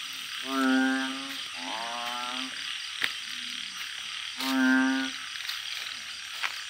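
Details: Banded bullfrogs raised in a backyard organic garden in Thailand, calling together at night: deep, low moaning croaks with rich harmonics, each lasting under a second, in a chorus over a steady high insect drone.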